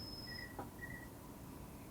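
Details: An understory cricket in a rainforest, a nocturnal male singing a calling song to attract females, gives short, pure-toned chirps.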